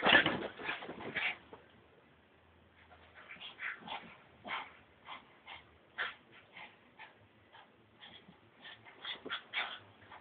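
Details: Brussels Griffon dog, worked up and lively, gives a loud opening burst, then soft, scattered whimpers and short yips spaced about half a second apart after a brief lull.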